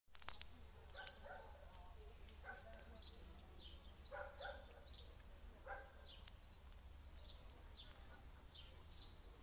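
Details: Kuvasz giving a few faint, distant barks spaced one to two seconds apart, over a steady low hum, with small birds chirping high and thin in the background.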